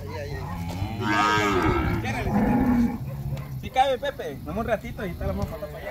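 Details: Calf moos from Campeche, Mexico, on 20 August 2022: two drawn-out, hoarse bawls in the first half, followed by shorter, choppy sounds and rustling noise.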